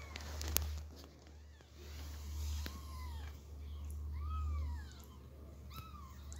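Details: Persian mother cat moving her kitten from box to floor while the kitten meows; a few arched meows, mostly in the second half, amid clicks, handling noise and a steady low hum.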